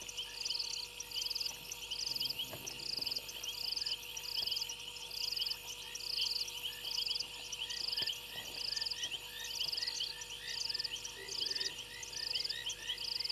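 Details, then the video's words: Frogs on a fallen tree limb at Gowrie dam waterhole, Djuma Game Reserve, Sabi Sand Wildtuin, South Africa, at night on 28 January 2022; high, short clicking notes repeated steadily about once a second over a constant insect-like hiss. "Frogs on fallen tree limb"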